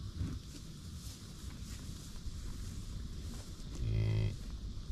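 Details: American bison on a buffalo ranch, with low background rumble and then a short, deep, moo-like bellow with a steady tone, held for about half a second near the end.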